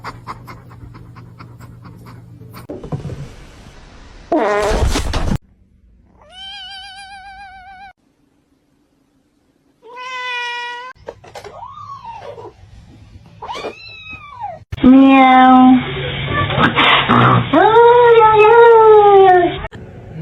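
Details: Domestic cats in a funny-cat compilation, a series of separate meows: short wavering harmonic cries, then arching drawn-out calls, ending in loud, long, insistent yowling meows. Abrupt cuts and thumps come between the segments.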